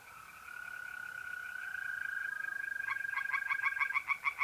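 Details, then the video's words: Steady, unbroken trilling of mole crickets at a pond by night in April, north-east Italy, joined partway through by tree frogs breaking into fast, loud, rhythmic croaking that swells toward the end. "relaxing singing tree frogs in pond and trilling mole crickets by night"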